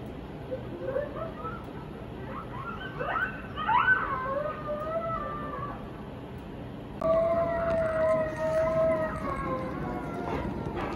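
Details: An 11-month-old wolfdog puppy, with a husky present, reacts to coyote yips and sliding howls on TV, answering with long, steady howls that waver slightly in pitch as the voices overlap.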